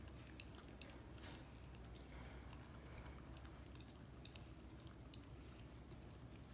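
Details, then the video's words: Indoors, a Miniature Australian Shepherd puppy licks peanut butter from a foot, making a dense run of quiet, sticky, wet clicks and smacks over constant low electrical hum. "Dog licking peanut butter off foot again ASMR"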